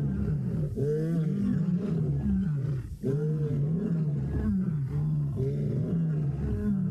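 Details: Lions roaring at sunset in the Mara on 3 September 2017, among them a young male roaring unusually early for his age: deep, rising-and-falling grunting roars repeated every couple of seconds over a constant low rumble.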